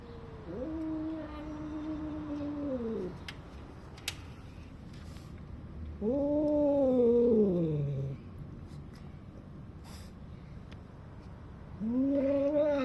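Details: Domestic cat with food, making weird 'nyam nyam' noises while eating, as if bragging about its food to other cats; three drawn-out, wavering moaning calls of two to three seconds each, separated by quiet gaps.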